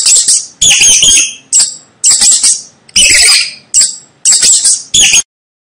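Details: Rat squeaks come as eight harsh, high-pitched chirping bursts about every half second to second, some doubled, each with a raspy texture, ending in silence.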